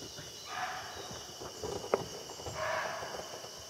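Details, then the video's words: A barking deer in Jim Corbett Park, India, gives two short, hoarse barks a couple of seconds apart, its alarm at sensing a tiger. "Barking Deer's Call (Bark) Full HD"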